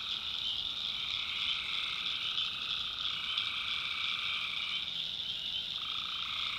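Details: Night chorus of tree frogs in North Carolina backwoods: a constant wall of high trilling voices, with a lower band of calls switching on and off near the end.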